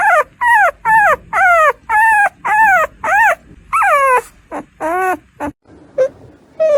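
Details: Rapid, insistent crying from a caesarean-born puppy in its first days of life. Short falling whines come almost two per second, then slow into a few softer, shorter squeaks near the end.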